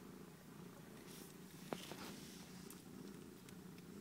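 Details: Purring from kittens of a cat named Kiki as they eat lunch indoors: a steady low rumbling hum runs throughout, with a single sharp click midway and faint soft rustles.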